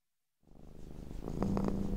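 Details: A domestic cat purring while sleeping: after a brief silence, a soft, low, continuous rumbling purr swells steadily, with a few faint higher tones from gentle piano music joining near the end.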